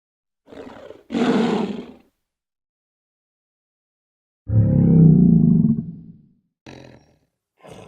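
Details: Lion roar: one deep, rumbling roar lasting about two seconds, with short rough snarl-like bursts before and after, separated by silences.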